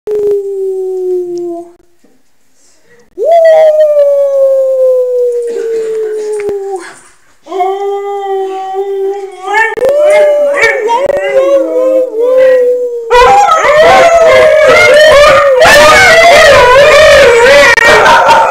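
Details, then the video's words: Puppy learning to howl by listening to Alaskan Malamutes: long sustained tonal howls sliding gently downward, with pauses, then rising and wavering; later several overlapping howls join, louder and fuller, as the malamutes and puppy howl together. "Puppy Pebbles learns to howl"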